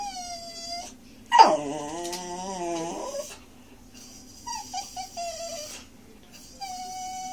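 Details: Pet Miniature Schnauzer puppy Monty begging for broccoli at dinner: a brief steady howl, then a loud wavering howl that climbs and dips, followed by softer whimpers and a short tonal howl near the end.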